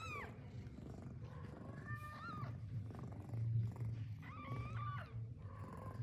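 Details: Mother domestic cat with newborn kittens, eating her first meal after giving birth: a steady low purring rumble throughout, with about five high, thin mews that rise and then drop, scattered across the recording.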